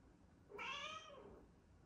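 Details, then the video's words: Female pet cat known as a fridge cat, indoors, gives a single clear meow lasting about half a second, rising then falling with rich harmonics, before a quiet room. "Fridge cat meows"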